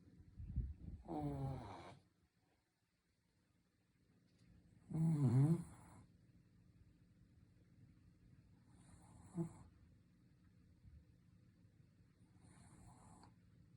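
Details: Shih Tzu asleep indoors, snoring in rough, low rasps: a long snore near the start, a stronger one around five seconds, then fainter snorts and breaths spaced several seconds apart in a quiet room.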